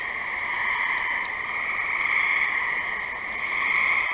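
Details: Steady wall of trilling from gray tree frogs, the overlapping pulsed calls forming one continuous high drone with faint swells and a quiet low background.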